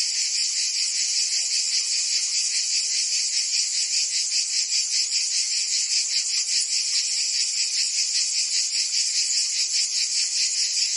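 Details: Cicadas singing on a summer day in Provence, France: a dense, unbroken high buzzing chorus, shimmering with a fast regular pulse of about two or three beats per second, steady in loudness throughout.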